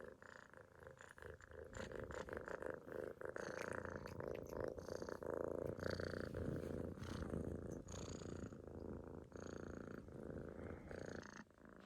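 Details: Sleeping Munchkin kitten loafed on its owner's stomach snores continuously, a rough buzzing purr rising and falling with each breath, fairly loud and close.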